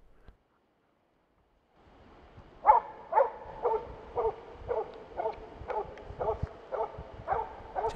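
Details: Steady baying by an experienced Finnish Spitz teasing a moose toward the hunter, autumn 2009 moose hunt in Finland: after near silence, rhythmic barks about twice per second continue through the rest.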